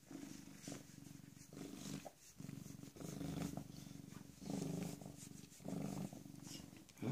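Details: PeeWee, a rescued female domestic cat about 18 or 19 months old, recently spayed and once a mother of kittens, purring steadily indoors: a low, rumbling, continuous drone that swells and fades in breath-like cycles roughly every second.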